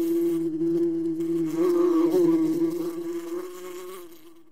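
A wasp's steady, low droning buzz holds an even pitch and swells slightly louder midway before easing off. No other sounds intrude.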